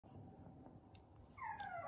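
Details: A 57-day-old female red Toy Poodle puppy gives a brief, high, slightly falling whimper after a stretch of low background rumble.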